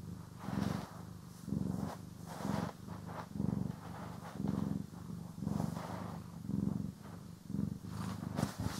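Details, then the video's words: Domestic cat purring throughout grooming and brushing: low vibrating purr swelling and ebbing roughly every second in breath rhythm, mixed with brushing rustles and light scratching, recorded in stereo. "CAT ASMR | Purring, Grooming & Brushing"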